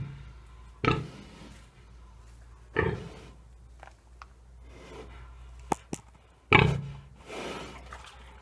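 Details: Dezső, a three-year-old domestic pig at Bálványos, fed green waste and kitchen scraps on 16 July 2018, picking fresh greens like carrot tops and mallow. Three short, low grunts come about two seconds apart, with faint clicks and drips between them.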